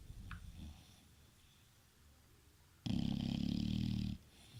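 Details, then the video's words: Sleeping bulldog gives one loud, coarse snore of about a second, low and rumbling with a raspy upper edge, after quiet, faint breathing in a small indoor room. "Bulldog roncando"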